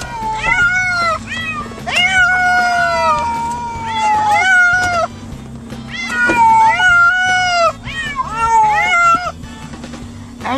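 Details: Six domestic cats riding in a car on the way to the vet for testing; repeated loud drawn-out meows, some rising then falling, overlapping from several cats, about every two seconds, over a low engine hum.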